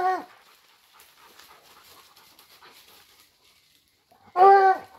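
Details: Dogs flushing a wild boar; a single loud, harmonic bark bursts out near the end after a long stretch of faint rustling, with a clipped bark at the very start.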